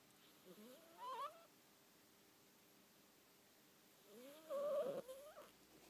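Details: Female pet cat making unusual noises while asleep: two short, wavering, whiny tonal calls that rise and bend, one near the first second and a louder one later, over a quiet indoor background.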